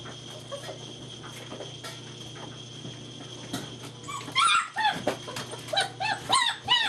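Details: German Shepherd puppies from Vom Barron's Pride, recorded 2-5-2012 while running and playing together; after a few seconds of quiet shuffling, a quick burst of high, arching whimpering yips repeats rapidly through the final three seconds.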